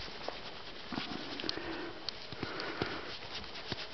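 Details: Wild boar named Pasanen in an enclosure on a late winter afternoon, being chatted to by a person. Soft, breathy sniffs come as short broadband puffs, irregularly spaced over a few seconds, against a quiet hiss.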